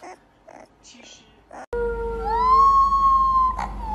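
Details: Young puppy giving one of its first howls, after brief human talking: a single sustained, steady howl that slides upward and then holds level for over a second.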